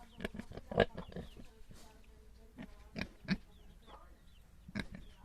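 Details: Little domestic pigs giving short, rough grunts at irregular intervals, a few louder bursts standing out over a quiet, hissy background.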